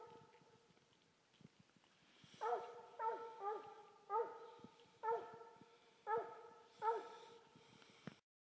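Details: Coonhound baying at a tree with a half Walker half English hound treed: six ringing, harmonic bawls roughly every second, each with a short falling tail, over a steady low background hum.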